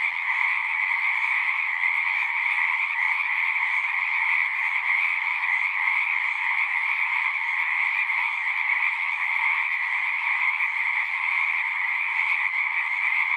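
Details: Chorus of frogs at a horse-pasture pond, recorded with a Zoom device: a steady, dense buzz of many trilling callers, unbroken and even in loudness from start to end.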